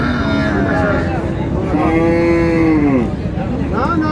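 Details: Dairy cow at a livestock market in Dinajpur, Bangladesh: a drawn-out moo swelling and holding steady before cutting off, with a short rising call at the end, amid continuous market hubbub and men talking prices.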